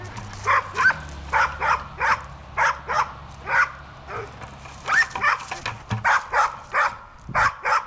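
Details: Bruiser, a Bulldog, playing with a bucket: a rapid run of short, punchy barks, roughly two or three per second, steady throughout with little else heard.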